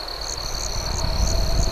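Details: A quick run of night cricket chirps, about five evenly spaced pulses over a shrill continuous trill, as campfire crackle grows louder.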